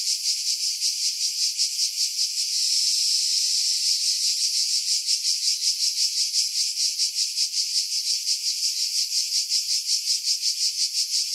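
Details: July 2018 cicada chorus from pines above Pefkos Bay on Skiros, Greece: continuous shrill rasping drone with steady rapid pulsing throughout, briefly smoother in the middle, heavy filtering having removed wind buffeting.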